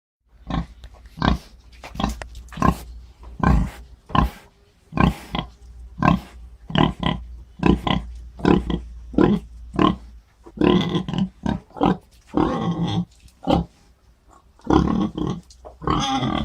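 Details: A pig gives a run of short, harsh grunts that turn into louder, rougher squeals toward the end.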